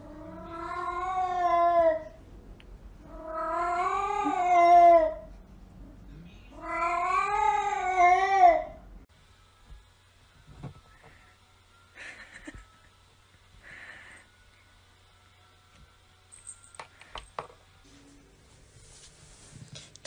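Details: A cat calls indoors with three long, loud, wailing meows. Each lasts about two seconds and wavers in pitch, with short gaps between them. Faint clicks and quiet room sounds follow.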